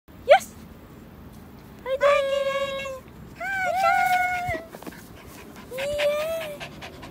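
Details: Toy poodle running in a dog run, giving high whining calls: a short rising squeal, then drawn-out tonal whines around two, three-and-a-half and six seconds, steady then gently rising.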